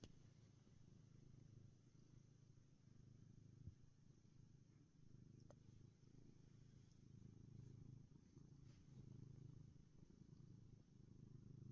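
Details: Contented black house cat purring, a deep, even, rolling drone that pulses with each breath and barely changes in loudness; otherwise quiet.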